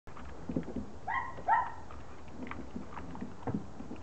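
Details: Border Collie puppies in a garden on Holy Thursday give two short, high, tonal yips about half a second apart, with soft rustling and low background rumble.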